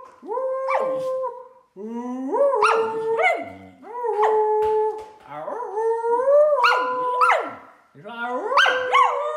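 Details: On her third birthday, Middle the female Samoyed howls in a series of rising, yodelling phrases roughly every two seconds, each swooping up then holding, with a person's voice alongside.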